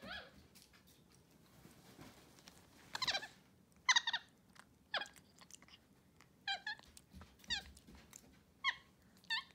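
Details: Two pet capuchin monkeys, MonkeyXander and Ohana, indoors on a bed eating morning oatmeal on a Sunday. Short, bright, harmonic chirping squeaks come in scattered bursts, some rising then falling, with soft rustling between them.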